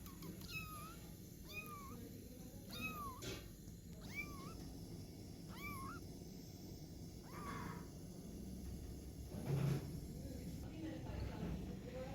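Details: Fluffy kittens learning how to climb give high, bending meows, about seven over eight seconds, each rising then falling, over a steady low hum and background noise.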